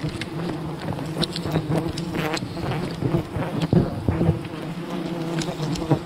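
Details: Many wild bees humming around their colony as honey is gathered. A continuous low droning buzz holds steady while scattered clicks and rustling handling noises cut through.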